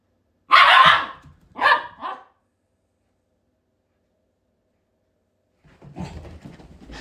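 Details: Pet Shiba Inu giving two sharp barks close together early on, then a long silence, followed by a lower, rougher grumbling sound at the end.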